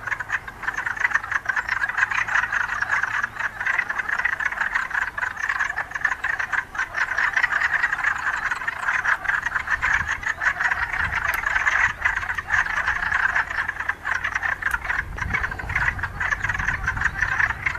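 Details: A dense breeding chorus of mating wood frogs (Lithobates sylvaticus): overlapping, duck-like clucking croaks that run on without a break.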